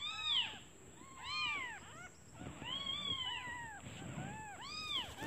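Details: Newborn kittens calling for their mother, who has gone out to find food, because they are hungry: high arched mews repeated about once a second, overlapping callers, with a steady high electrical hum behind.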